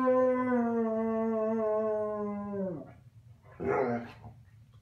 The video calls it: basset hound howling!